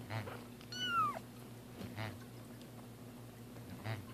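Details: Two cats during their first bath indoors; one short high meow that rises then slides steeply downward, set against a steady low electrical hum and soft splashing noises.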